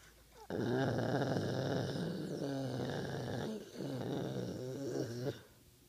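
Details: American Bulldog snoring indoors: one long, rough, rumbling snore lasting about five seconds with a deep, buzzy vibrating tone and a brief dip midway, silence before and after.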